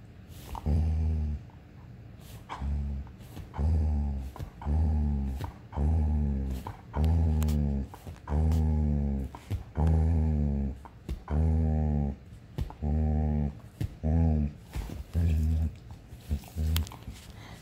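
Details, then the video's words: A German Shepherd that wants to play gives deep, drawn-out, growly barks in a steady series, about one per second for over fifteen seconds, each rough and moaning, with faint clicks and shuffling between them. "German Shepherd , Let go to play"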